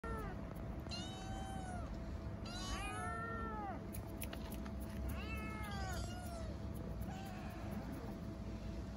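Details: Starving stray kittens living on the street in Istanbul meow for food and affection: several arched, harmonic-rich meows, each rising then falling, arrive in separate bursts over a steady low urban rumble.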